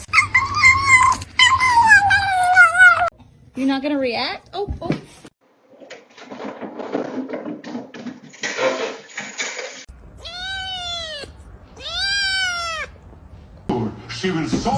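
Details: Pet cat meowing indoors among people talking: a long descending call at the start, then two clean, evenly arched meows about two seconds apart near the end, with laughter and chatter between.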